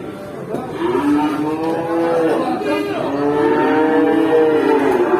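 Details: Rampaging cow at an Indonesian livestock stall gives a long, steady, low moo that swells after a quiet start and holds for several seconds, with men's voices and faint vehicle sounds nearby.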